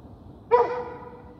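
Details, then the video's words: A single dog bark with a sharp onset and a ringing, tonal tail that fades over about a second, over a faint low background hiss. "The sound of a dog barking"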